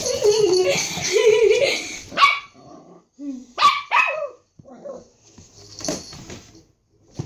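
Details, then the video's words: A dog arguing with its owner: a human voice talks first, then the dog answers with a few short, sharp yelping barks separated by pauses, with quieter rustling between them. "this is how I and my dog are arguing!"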